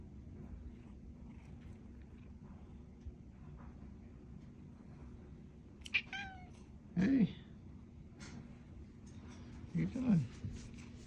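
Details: Domestic cat greeting and lounging by a door, giving two short, low meows that bend up then slide down, about three seconds apart, after a person calls "hey" to it; quiet room hum underneath.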